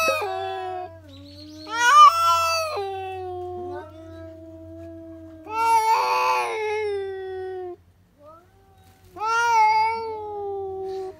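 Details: Cats letting out sudden screams, generally triggered by seeing another cat outside; a series of rough, wavering yowls that swell and fade, some harsh and strained, separated by short pauses.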